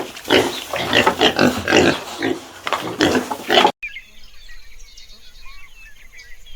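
A pig grunts in quick, harsh, rasping bursts, about two each second, before the sound cuts to a quiet stretch with faint bird chirps.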